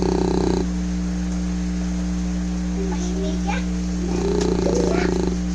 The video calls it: English Bulldog snoring. (kali)